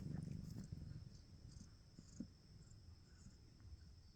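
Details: Cat purring: a low, rumbling, rapidly pulsed purr, loudest during the first second and then softening to a quieter steady rumble, with a few soft clicks and a constant faint high hiss behind.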